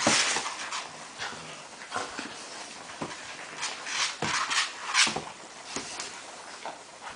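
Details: Irish Red Setter mother Samba and her 7.5-week-old puppies; thin, high whimpers and squeaks come in quick irregular bursts, mixed with sharp clicks and rustling from moving bodies in a small room.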